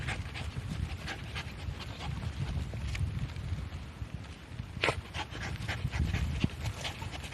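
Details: Shiba Inu named Korosuke, on a walk, suddenly digging a hole on a ridge path between rice fields in misty drizzle. Fast, breathy panting in low rhythmic puffs, with sharp scratchy clicks from the digging.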